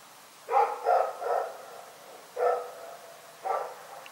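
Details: Rex, a dog, barking in the night: a quick run of three short, harsh barks, then two single barks about a second apart, over quiet background.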